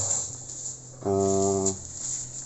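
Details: Cattle tagged as Simmental and Limousin, being loaded into a truck for delivery to Magelang, give one loud, steady, low moo lasting just over half a second over a constant hum and high-pitched background whine.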